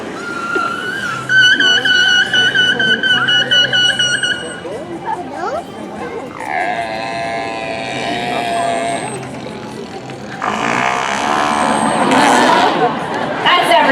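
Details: Captive killer whales at SeaWorld San Diego on 17 June 2015, communicating during a show, give bright, strained whistle-like tones and squeaky pulsed cries, with a crowd and announcers nearby.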